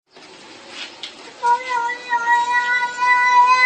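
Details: Pet cat making weird baby-like sounds; after a soft noisy start, a steady harmonic wail begins at about 1.5 seconds and holds level to the end, drawn out and slightly wavering.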